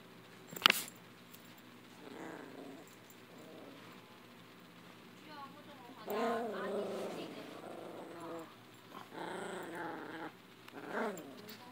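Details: Chihuahua playing with a rope: a sharp knock, then mid-pitched, wavering growls and grumbles in several drawn-out bursts, loudest toward the end, over faint background hiss.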